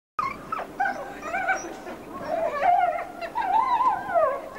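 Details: Several hand-raised grey wolves of a pack howl together in wavering, overlapping tones broken by short whines and yips, while one wolf greets her hand raisers.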